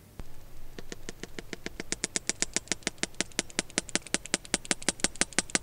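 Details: A sperm whale feeding gives echolocation clicks, sharp, broadband knocks repeated steadily, several each second, over a low rumble.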